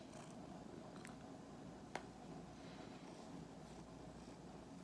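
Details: Two-year-old male Norwegian Forest Cat and Korean Shorthair mix, an affectionate, dog-like cat, purring indoors: a soft, steady low rumble with grainy texture, broken by one sharp faint click near the middle.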